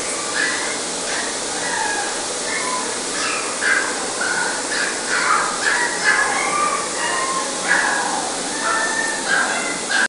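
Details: Male Chihuahua giving short, high-pitched yapping barks in quick irregular bursts, some clipped and some slightly drawn out, over a steady loud hiss that runs through the whole recording.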